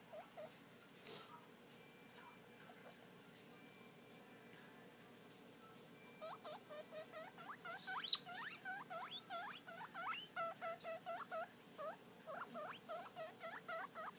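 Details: A three-day-old baby guinea pig looking at its reflection in a mirror: quiet at first, then a rapid run of short, upward-sweeping squeaky chirps, several per second, lasting to the end.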